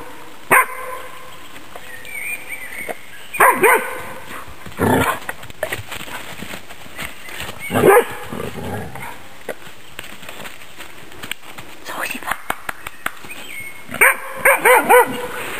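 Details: Female Magyar Vizsla working wild boar for a demonstration; scattered sharp barks and yelps separated by quiet gaps, with rustling and clicking noises between.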